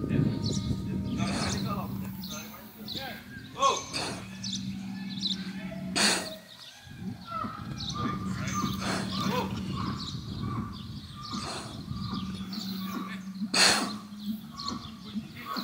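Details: Holstein bull, stressed, bellowing at a Brahman bull across the electric fence of a paddock in Botucatu, São Paulo, Brazil, 6 November 2021; long low droning moos in several drawn-out bouts, with rustling and brief sharp noises between them.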